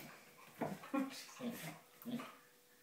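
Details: Border Collie play fighting with a cat makes four or five quick, throaty growling yips and whines in under three seconds, rough and uneven.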